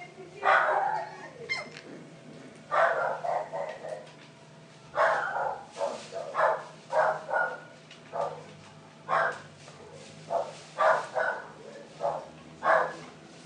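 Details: Cocker Spaniel and Poodle cross puppies yipping and whimpering, short soft bursts coming in irregular clusters roughly every second, with a faint steady hum behind.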